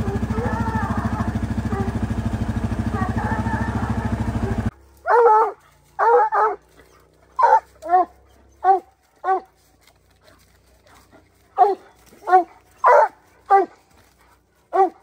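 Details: Young bear-hunting dog on the opening day of black bear training season, July 2024. Loud engine drone for the first few seconds, then sharp, ringing barks and bays in uneven bursts, often in pairs, spaced about a second apart.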